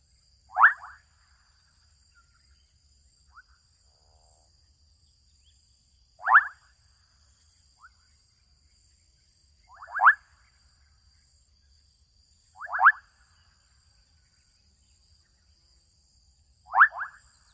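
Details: Adolescent frogs calling in a Kenyan wetland give short, rasping croaks spaced a few seconds apart over a steady high insect-like whine; finding: Frog.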